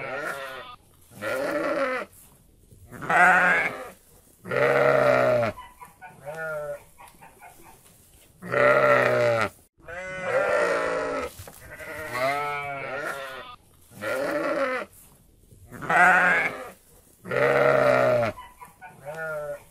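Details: Sheep, kept among goats, bleating in loud, wavering, harmonic-rich calls that come in short bursts every few seconds, some long and quavering, with quieter gaps between them.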